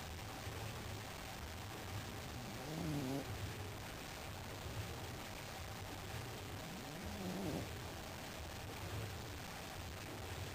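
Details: A sleeping pug produces two gentle whistling, wavering snore sounds about four seconds apart, quiet against a constant low hum and hiss.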